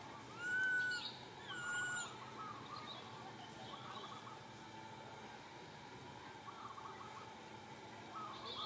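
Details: Little monkey Santo crying sadly for its mother Sara, asking for milk: two loud, clear, tonal cries that rise then fall, about a second apart, followed by quieter background with faint chirps and steady ambient noise.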